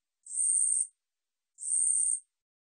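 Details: Korean katydid song, archived by the National Institute of Biological Resources in 2020: two shrill, rasping buzzes, each roughly 0.6 seconds long, separated by about a second of silence, with no other sounds present.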